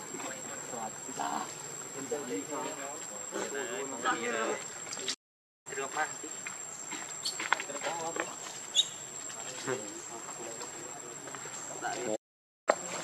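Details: Baby monkey Leo, hungry and angry, crying to beg its mother for milk: wavering, harmonic whimpers rising and falling in quick repeated bursts, with a steady hiss of insects in the background and two short breaks of silence.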